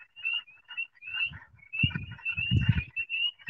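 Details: Spring peepers, tiny frogs about the size of a nickel, give a chorus of high, clear peeps repeated rapidly over low rumbling sounds, with another clucking frog species also calling nearby.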